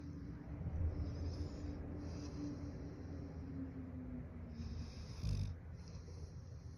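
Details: Golden Retriever, a large pet dog, snoring while seeming to only pretend to sleep: a steady low rumbling drone with rough breathy pulses throughout and a louder snort near the end.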